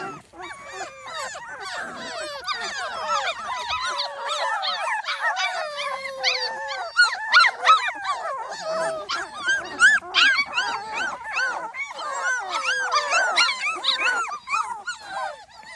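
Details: Small Munsterlander pups, 2.5 weeks old, on their first outing outdoors; a dense chorus of many high squeaky whines and yelps, rapid and overlapping, with short louder peaks and no pause across the stretch.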